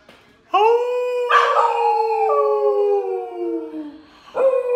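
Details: Domestic dog howling along with its owner as a singing duo, the second part of their song: a long, clear, sliding howl that starts abruptly and slowly falls in pitch, with a brief human vocal burst partway through and a new howl starting at the end.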